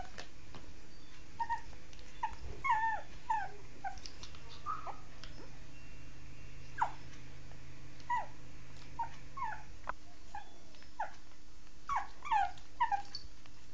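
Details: Shih Tzu dog giving a long series of short, high, downward-sliding whimpers and yips, irregularly spaced, some in quick clusters, against a faint constant hum.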